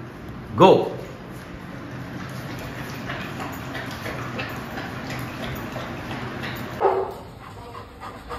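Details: A dog at a training school and dog hostel in Jodhpur, recorded 9/11/22 during a morning training session, gives two sharp, loud barks, one near the start and one about six seconds later, amid human commands and steady background hum.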